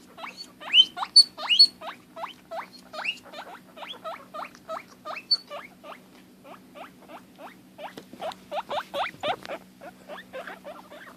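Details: Female guinea pig kept as a pet, upset at losing sight of her sister, gives a long run of quick, shrill upswept squeaks, roughly two to three per second, fading midway then rising again, with faint rustling and a low hum.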